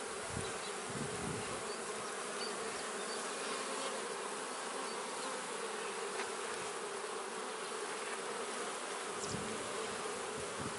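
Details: Honey bee colony kept in a man-made hive, giving a dense, continuous droning hum that holds steady throughout, with faint scattered crackles and a few brief lower thumps.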